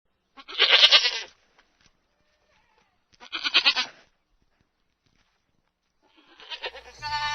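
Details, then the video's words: Goat bleats in three separate bursts, each about a second long, harsh and wavering, with quiet gaps between them and a final call that trails off into a low rumble. "goats and the sounds of goats"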